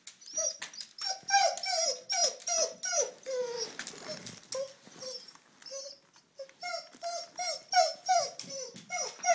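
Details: Duke, a basset hound, wanting to go back to the dog park, gives a run of short whining yelps and whimpers indoors, rising and falling in quick bursts about every half second with slurred, bending notes.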